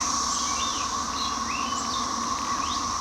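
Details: In a backyard in spring, a steady, droning all-day chorus of emerging Brood XIX 13-year periodical cicadas hums without a break, while songbirds at a feeder add scattered rising and falling chirps.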